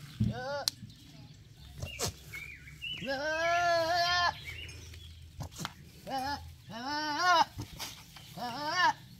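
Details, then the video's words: Male goat giving a run of bleats that sound like talking: one long wavering bleat followed by three shorter, quavering ones, with sharp clicks and low rumble in the background. "super funny boy goat talking"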